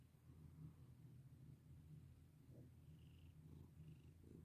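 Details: Pet cat being stroked gives a continuous deep, even purr, with a few soft brief scratchy touches of petting near the end.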